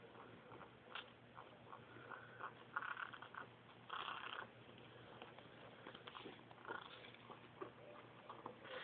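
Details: Caracal kittens give soft, brief mews and chirps scattered throughout, several close together near the middle, over a steady low hum and faint rustling.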